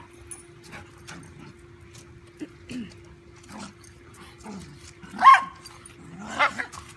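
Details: A dachshund plays fearlessly with a big golden retriever puppy. Scattered low grunts and soft growly yips are followed by two sharper, louder barks near the end, with faint rustling from the scuffle between them.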